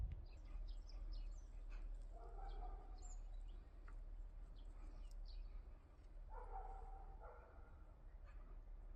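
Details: Cat in a yard shared with rabbits, hens and a cockerel, giving two drawn-out, harmonic, mid-pitched meows about four seconds apart over a steady low outdoor rumble with faint scattered ticks.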